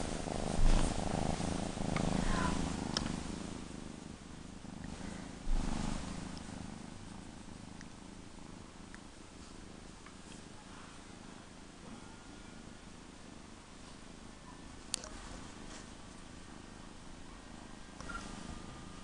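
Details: Purring of Appa, a female kitten: a fast, even, low rumble that is loudest at the start, then continues softly and steadily, with a few faint clicks and one sharp tap.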